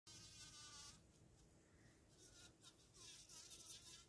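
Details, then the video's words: Bumblebee buzz pollinating a flower, a higher-pitched buzz released to shake pollen loose, heard as a steady, tonal whine in the opening second before the pitch shifts and fades into a softer, lower hum. "Bumble bee buzz pollination"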